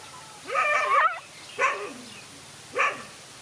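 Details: Male dog facing two other male dogs in a fight; three harsh, wavering barks and yelps, the first long and strained, then two shorter ones about a second apart.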